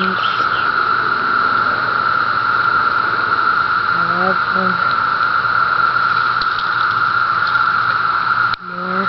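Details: On Cape Cod during the 17-year cicada emergence, a constant buzzing cicada chorus drones at a steady pitch, with a few short, harmonic calls or voices breaking through over it.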